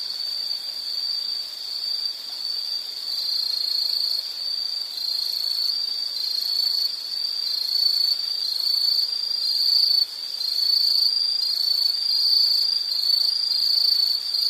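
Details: Insect sounds in a calming nature recording: a shrill, high trill running without pause, pulsing rapidly, with fainter higher chirps layered above and occasional small jumps in loudness.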